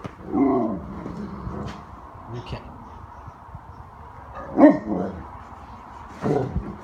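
A Great Dane "talks" in low, wavering groans and short whining yowls, each rising and falling like a voice. A person speaks between the sounds, and the dog responds to them.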